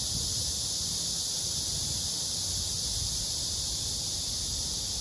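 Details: Captured male blackish cicada paired by hand with a female, serenading her. A dense, continuous high-pitched buzz holds level for the whole stretch over a faint low rumble.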